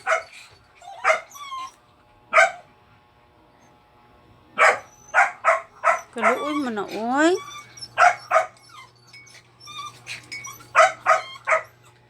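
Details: A dog alternating sharp yelps with wavering whines, including a fast trembling cry in the middle, with short barks spaced irregularly through the stretch and a steady low hum beneath.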